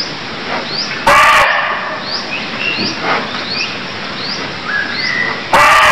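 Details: Two abrupt, raspy barks from a barking deer in Cambodia open and close the recording, separated by a run of high rising chirps and short whistled notes.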